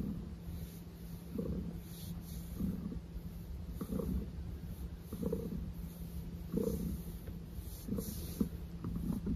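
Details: Low rumbling purr from Maple, a house cat insisting the attention continue, swelling in breathy pulses roughly every one and a half seconds in a quiet room.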